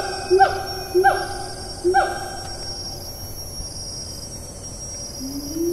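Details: Siamang in Taman Negara National Park, Malaysia, recorded on 4 April 2019 in rainforest: three resonant, harmonically rich notes, each swooping up and then down, less than a second apart. A soft rising note ends the series over a steady hum of insects.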